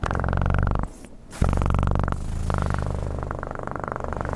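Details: Dense, buzzing low purr from a cat recorded very close, continuous apart from a brief drop near the one-second mark, then steady to the end.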